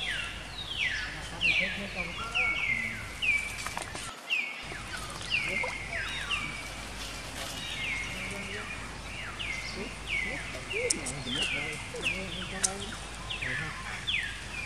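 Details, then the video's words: Baby monkey Jinx crying after being attacked by another monkey, Spring: a rapid series of high, falling squeals, repeated many times a second in quick bursts, with low human voices and outdoor background noise underneath. "Poor Baby Monkey Jinx Was Attacking By Spring Monkey, She Crying Seizure"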